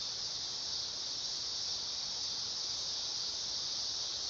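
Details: Dog-day cicada singing a steady, loud, high-pitched buzzing drone that holds an even pitch and volume throughout, with no breaks and no other clear sounds.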